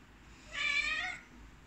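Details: Domestic cat giving a single clear meow lasting under a second, bright and harmonic with a slightly wavering pitch, over a faint low background hum.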